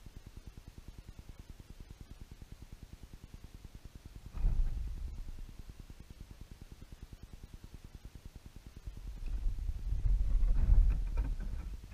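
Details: Only low wind rumble and a couple of louder gusts or handling bumps are heard, with no clear animal calls.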